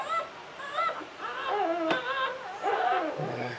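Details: English Springer Spaniel Latte whimpering while giving birth to her seventh puppy, Licorice, in a litter of nine, 2013; short high whining cries in bursts, with a brief low murmur near the end.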